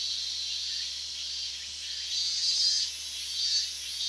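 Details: Higurashi cicadas in August 2011 near the edge of the Minamisoma restricted zone, Fukushima Prefecture, calling at unusually loud volume. A dense, shimmering high-pitched drone with brighter surges and pulsing bursts near the top, heard as a continuous chorus.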